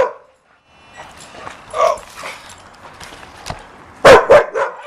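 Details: Chasing a remote-control car, a puppy lets out a few soft yips, then a loud cluster of sharp barks near the end against faint background noise.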